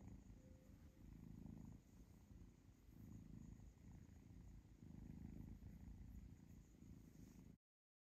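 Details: Contented purring from little kitten Zlata being stroked by her owner during gentle finger-biting play; low buzzing rumble pulsing with her breathing, steady for about seven seconds before cutting off.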